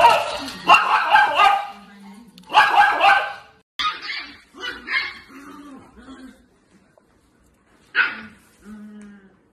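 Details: Dog in a funny pet compilation giving several short, harsh barks in bursts, three separate spells over about nine seconds with quieter gaps, with human voices talking between them.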